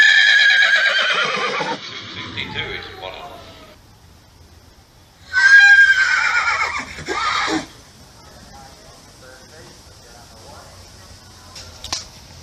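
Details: Horse whinny: a loud descending neigh fades out, then after a quiet gap a second shorter neigh bursts in, high and quavering, dropping in pitch. Faint low rumble and a small click near the end.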